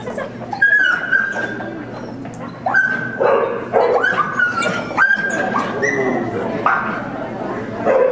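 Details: Dog screaming out during an AKC agility trial in Oklahoma City, January 30, 2009, as the handler calls "Weaves" to another dog running; high, rising yelps and whimpering cries repeat over a loud, echoing arena with people talking.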